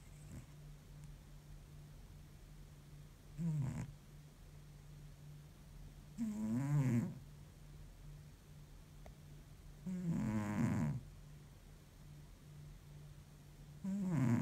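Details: Sleeping cat, exhausted after a long week, snores deeply like an old man; rough, low rattling breaths come about every three to four seconds, four of them, over a constant low background hum.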